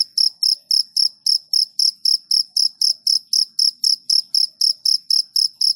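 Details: Cricket heard at night producing a continuous run of sharp high-pitched chirps, close to four a second and steady in loudness, with only faint low background sounds.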